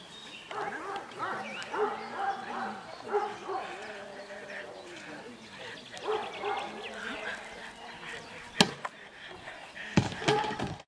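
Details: Perro de Presa Canario Don Quijote de la Arena during Schutzhund training in Germany. Throaty barks come in short irregular runs with pauses between, overlapping spoken voices and a few sharp knocks.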